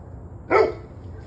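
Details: Evening recording from 21 November 2023, 7:06 pm, of a dog giving one loud, clipped bark, with a quiet low hum before and after.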